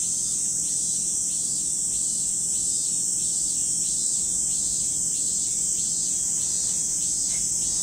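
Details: Cicada chorus by Lake Kamo on Sado, Niigata Prefecture, Japan; a dense, shrill drone stays constant, pulsed by quick descending rasps repeating about three times a second beneath the main hiss.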